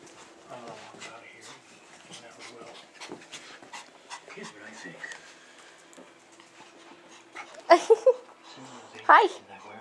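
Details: Pet dog Bella playing with a new puppy, Skyler: steady soft panting and scuffling under people talking, then sharp high yelping bursts near the end.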